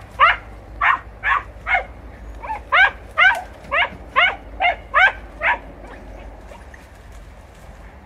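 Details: Podenco hounds hunting in bramble cover in Campo Arañuelo, Spain, giving a run of about thirteen sharp, high yelping barks at an uneven quick pace, roughly two per second, then falling quiet.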